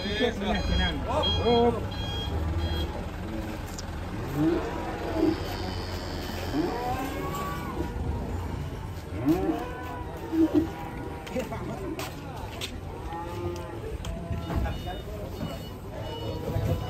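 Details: Cattle at the Grabag market being loaded onto a truck: drawn-out lowing moos with arching tones, loudest near 4–5 s and 9–11 s, over crowd chatter, engine rumble and vehicle reversing beeps.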